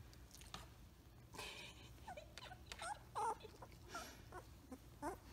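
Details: Samoyed puppy named Blue Boy, male, from the Rose X Rider litter, playing indoors and making cute awooo noises: short soft rising-and-falling whiny roos spaced about a second apart, quiet, with faint rustling between them.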